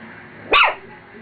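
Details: Female pet dog barking at her reflection in a mirror: one sharp, short bark against a quiet room hum.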